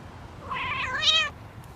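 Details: House cat at a window trying to imitate and talk to crows that visit every day. A single nasal, harmonic meow lasts about 0.8 seconds, jumping higher and louder near its end, then quiet.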